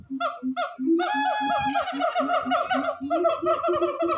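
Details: Siamang gibbons at Honolulu Zoo in 2023, communicating with each other: a loud, continuous run of rapid barking and whooping notes, repeated several times a second and rising into overlapping higher hoots as the calling builds.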